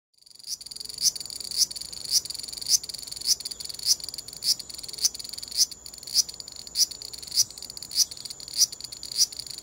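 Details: Large brown cicada, described as moving while it calls in short bursts, recorded on a compact digital camera: harsh, grating buzzes repeated about every half second, steady and evenly spaced, with no other sounds.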